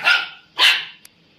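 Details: Indian Spitz barking twice, each bark short, bright and high-pitched, about half a second apart, followed by a tiny click.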